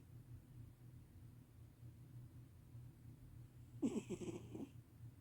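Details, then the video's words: Sleeping domestic cat snoring loudly, a steady low rumbling breath pattern throughout, then a brief louder harmonic vocal burst near the end as it wakes. "Sleeping cat snores loudly"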